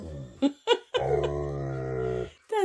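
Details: Tonka, an Alaskan Malamute keeping its owner company in the bathroom, makes short yelps, then a long moaning, grumbling vocal tone of over a second, followed by another brief whine.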